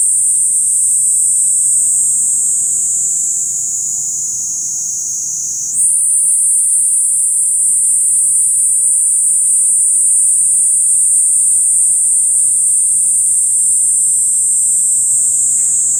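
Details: Unbroken shrill drone of a Kaempfer cicada, a steady high sizzling buzz that dips slightly softer, then steps up in pitch and loudness after about six seconds and carries on evenly.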